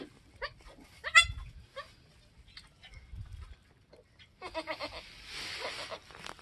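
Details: Goats on a homestead with a doeling and buckling born minutes to hours earlier; a quick run of three short, bright bleats opens, followed by broadband rustling and handling noise.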